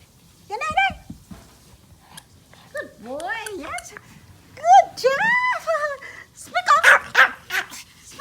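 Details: A small male Pomeranian gives high, whiny yaps and short barks on command while playing with toys, with a woman telling him to speak and fetch a toy between them.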